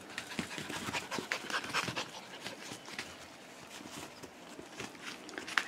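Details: Three five-week-old Schipperke puppies, Aaron, Abbey and Annie, out on a porch: quick soft panting and paw scuffling, broken by a few brief high squeaks.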